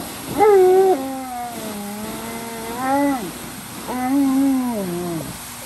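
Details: Unhappy Alaskan Malamute Tonka crying like a baby, giving three drawn-out tonal wails in quick succession, each rising slightly and then held before dropping away, in a quiet indoor setting.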